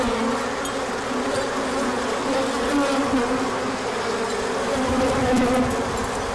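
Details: Large orientation flight of bees, 24 March 2024, as sunshine returned after cold weather; constant multi-voiced wing drone with gliding pitch shifts and occasional faint ticks.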